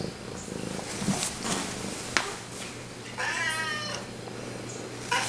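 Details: Pumpkin, a male pet cat very close to the camera, purring and meowing; one drawn-out, harmonic, slightly wavering meow lasting about a second stands out midway, amid soft rustling, sharp clicks and a steady low hum.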